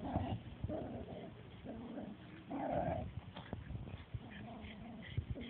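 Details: Oscar and Dollar play-fighting in the Tompkins dog run, giving repeated harmonic growl-whines in short bursts, the loudest near the middle, with scuffling and outdoor hum beneath.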